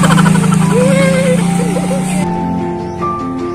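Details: Music with a melodic line over low rhythmic tones plays, with faint engine noise and a shift to quieter steady tones partway through; no animal sounds are heard.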